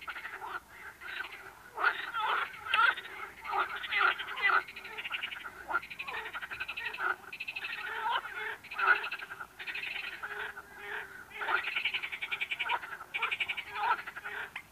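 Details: Frogs calling together in a dense, overlapping chorus of raspy, pulsed croaks, with bursts of rattling notes following one another almost without pause throughout.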